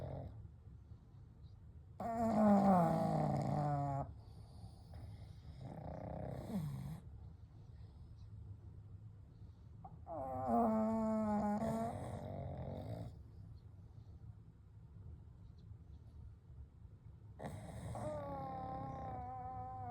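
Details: Three sleeping pugs, Kou, Gen and Shun, resting together indoors: gentle nasal snores with whistling, wheezy overtones come in four long breaths roughly every five to seven seconds, with quiet breathing between them.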